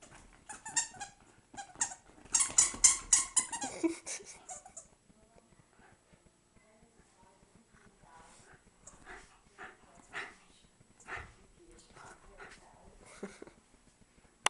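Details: Wire Fox Terrier Eliška, a pet dog, destroying a toy indoors; a burst of high squeaky and growling sounds in the first four seconds, then quieter scattered squeaks and rustles.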